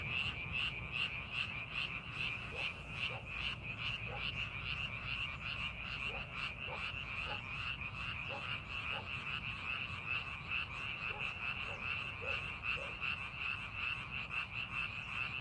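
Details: In a rice paddy readied for farming, frogs keep up a steady pulsing chorus of croaks about 150 per minute, with a bright sustained trill on top and a few lower, separate croaks standing out in the middle.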